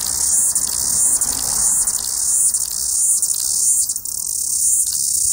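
A cicada's continuous, high-pitched electric buzz holds steady with slight pulsing throughout; no other sounds stand out.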